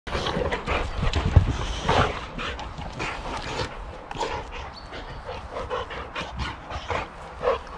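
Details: Adult Boxer and puppy Sammie in hard, rough play: low, rumbling growls and huffs with panting, irregular bursts over the whole stretch, with scuffling movement noise throughout.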